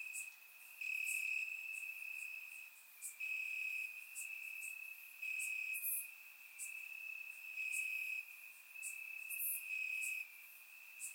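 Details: Night chorus of crickets in Bulgarian grass on a warm summer evening: a continuous shrill trill swells into louder stretches lasting one to two seconds, while brief piercing high chirps repeat irregularly above the steady hum.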